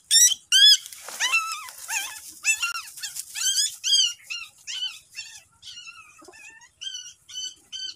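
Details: Dog sounds around a mother dog guarding her newborn puppies as they are brought outside: rapid, high, squeaky squeals and yelps with clear harmonics, coming in quick irregular bursts of about two per second, with short gaps of silence between.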